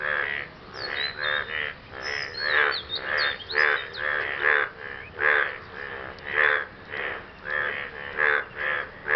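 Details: After rain, frogs call to impress a partner with a steady series of about fifteen harsh, buzzing croaks. Brief high squeaky chirps sound over the first few seconds.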